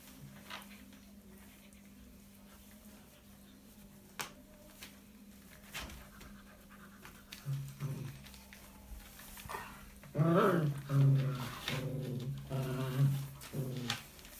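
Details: An Alaskan Malamute mother playing with her puppies in a whelping box makes deep, throaty 'woo-woo' grumbles in a run of short, wavering bursts near the end, after a quieter opening of soft panting and a steady low hum.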